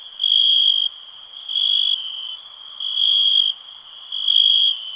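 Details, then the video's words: High, ringing cricket trill swelling into four loud chirping bursts, each lasting over half a second, spaced roughly one and a quarter seconds apart. "Nature sounds, cricket relax"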